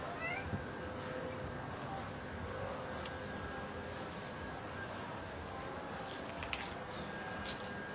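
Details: Stray orange cat, thin and sickly when it turned up at a house on June 30, 2011, now fed there and always hungry; one short faint meow near the start over steady background hiss, then mostly quiet.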